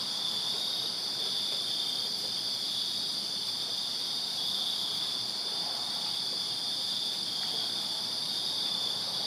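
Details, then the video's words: Crickets chirping in a backyard on a summer night in Virginia: a dense, unbroken, shrill high-pitched chorus with a fainter sizzling layer above it, steady throughout, over a soft low background hiss. "Crickets Chirping Summer Night in Virginia"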